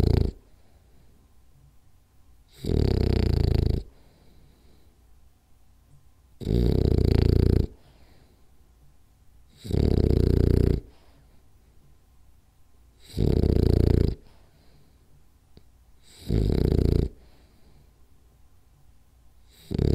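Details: Rolly, a French Bulldog, snoring indoors during a nap: loud, rough, low snores about a second long, each followed by roughly two seconds of quiet, repeating steadily through the stretch.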